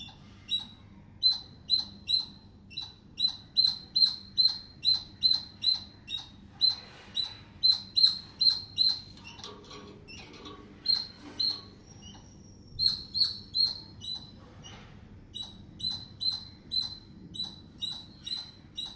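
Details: Squirrel chatter used for communicating: a long, fairly regular stream of bright clicking squeaks, roughly two per second, with a short irregular break midway filled by faint rustling before the sharp chirping resumes.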